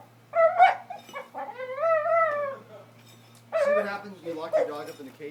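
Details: A Boxer dog, brindle, makes drawn-out, wavering whines and yodel-like groans in two bursts while holding a horseshoe in its mouth.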